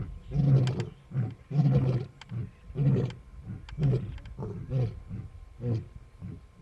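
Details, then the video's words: Lion roaring in Kruger National Park, South Africa, from Casper the white lion's coalition near Nsemani Dam; a series of short, deep grunting roars that fade gradually, repeated roughly every second, with faint insect buzz behind. "Roaring, Yawning And Sleeping - Casper The White Lion And Brothers"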